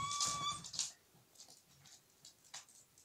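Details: Pembroke Welsh Corgi puppy giving one short, high, even squeal at the start, followed by faint rustling and small clicks in a quiet room.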